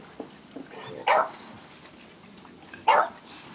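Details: At a breeder in Hamamatsu, Shizuoka, Japan, an adult Siberian Husky scolds overexcited puppies on their first time outside: two sharp, loud barks nearly two seconds apart, with a few softer yips between.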